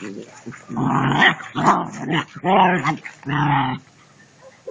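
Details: German Shepherd puppies playing; a run of four loud, harmonic growl-barks of about half a second each, rough and wavering in pitch, separated by short pauses.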